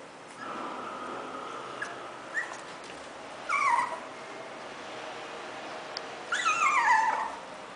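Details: Five-month-old Pomeranian named Dodi asking for food in a kitchen as his meal is prepared; high thin whines slide downward in two short bursts over a steady background hum.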